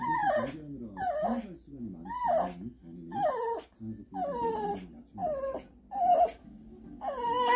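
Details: Jjong-i, a 17-year-old Shih Tzu with dementia, acting up in the middle of the night: repeated wavering whines that rise and fall, about seven drawn-out cries in under eight seconds, indoors.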